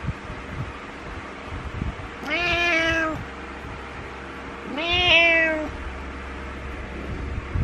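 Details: Two long, slightly wavering meows about three seconds apart from Butters, a male house cat who jumps onto the bed each morning and cries until his owner gets up because he dislikes being alone.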